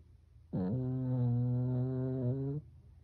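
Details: Sleeping Pekingese pet, Byeol-i, snoring indoors at home in a human-like way: one sustained, deep, droning snore of about two seconds, steady in pitch with a slight upward lift before it stops, in a quiet room.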